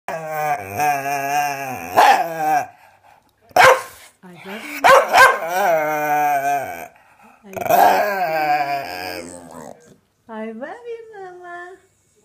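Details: A white Staffordshire bull terrier makes long, wavering, moaning vocal sounds, almost like talking, as if trying to hold a conversation with its owner.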